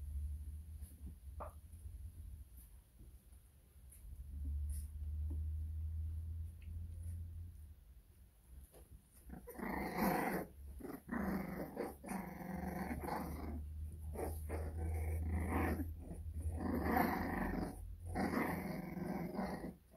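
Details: American Bully puppies indoors; after about nine seconds of quiet low hum, rough raspy growling bursts begin, coming in dense broadband rushes separated by short breaks through the rest of the recording.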